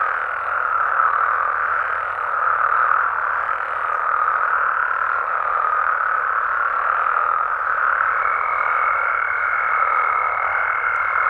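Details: Frogs and toads calling at night in Mexico, a dense unbroken chorus of mid-pitched croaking trills that forms a steady wall of sound, with a thin sustained higher whine joining in for the final few seconds.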